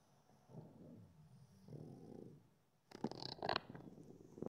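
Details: A pug (Canis lupus familiaris), one of two, relaxing in the afternoon gives low, rumbling snores and grunts, then harsher snorts and snuffles: snoring, snuffling.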